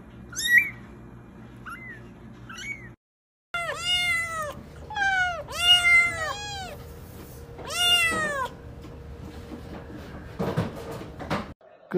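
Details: Kittens meowing in a compilation: a series of high, arched harmonic meows, several in quick succession from about 3.5 to 8.5 seconds, with short squeaky mews at the start and a faint steady hum underneath.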